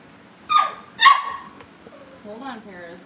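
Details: Two quick high-pitched barks from Cavalier King Charles Spaniel puppies being readied for family pick-ups, followed by softer wavering whines and a voice, with a faint background hum.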